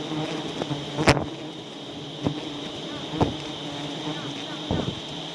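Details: Aceh honey bees disturbed while a honey hunter works their nest in South Aceh, giving a continuous low hum beneath a high steady whine, with a few loud sharp knocks about once a second.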